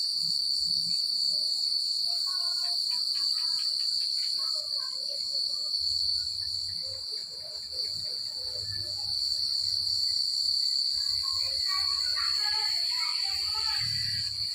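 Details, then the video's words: Night chorus of crickets in quiet countryside, a continuous shrill high trill holding steady throughout, with soft lower chirps and twitters dotted in the middle and a brief hissy rustle near the end. "The Sound of Crickets at Night"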